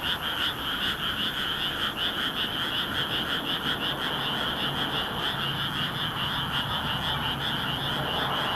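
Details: Frogs in full chorus at night in a rice paddy in Nagoya, Japan, under a bright moon in mid-May, filmed with a compact camera: dense, continuous overlapping croaking trills forming steady high bands, many callers at once.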